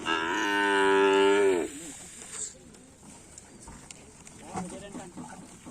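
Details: Racing bulls kept by a karapan sapi bull-race team, being prepared for an event on the 12th. One long, loud, deep moo lasts about a second and a half and ends with a falling tail. Quieter background noise and people follow.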